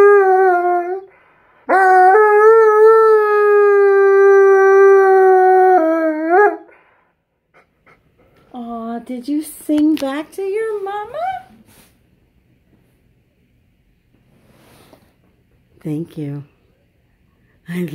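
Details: Male Alaskan Malamute joining in with his owner's singing of "You Are My Sunshine" on a couch; a long steady howl gives way to short wavering yips and whimpers, with a woman speaking affectionately.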